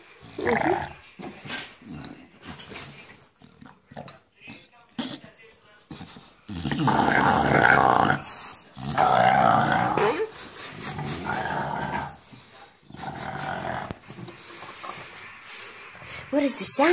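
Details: English bulldog growling in a monster-like way while playing with a ball in a small room; quiet snuffly grunts at first, then long rough growls with a whining, tonal edge, a person talking in between.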